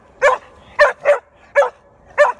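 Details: Aussie Shepherd–border collie cross barking at a groundhog on 18 September 2018, giving five punchy barks in quick succession, two of them nearly back to back, over near silence.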